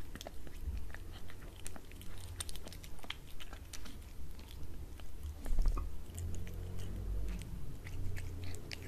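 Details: Domestic cat eating wet cat food on a glass table in a small room: irregular moist bites and chewing, with scattered clicks, a few louder crunches midway and a low background hum.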